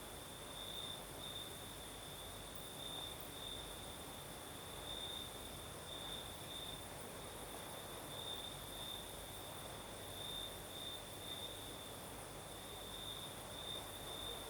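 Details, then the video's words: Crickets chirring at night in the south of Crimea under a night breeze; a high steady trill with irregular brighter pulsed bursts, roughly eleven a minute, over a constant breathy wind hiss. "Сверчки поют"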